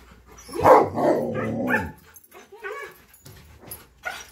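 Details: Eager before bikejoring, Tonka and Monroe can't keep still for their leashes. A loud drawn-out bark-howl of about a second dominates, followed by softer yips and whimpers.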